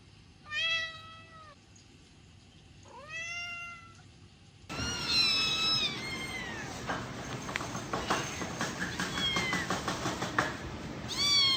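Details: Cats and kittens meowing: two short rising-falling meows a few seconds apart, then a busier, noisier stretch with several more overlapping meows and a final meow at the end.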